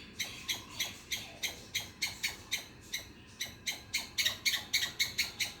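A squirrel gives a fast series of harsh, raspy chips, about three or four each second.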